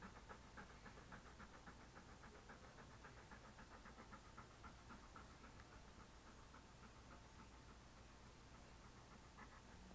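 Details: Being petted beside a desk, a male English Cream Golden Retriever pants softly and rapidly, nearly four breaths a second, half-buried under steady background hiss, recorded on an SJCam SJ4000 action camera.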